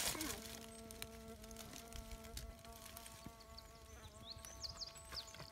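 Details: Bee fly (Bombylius major) probing sand: a continuous low droning wing hum with stacked harmonics, slightly wavering in pitch, while birds chirp faintly and a brief rustle opens the recording.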